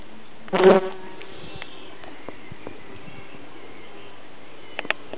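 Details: A bumblebee collecting nectar gives a low, droning wing buzz that swells briefly, then fades to a quiet background hiss.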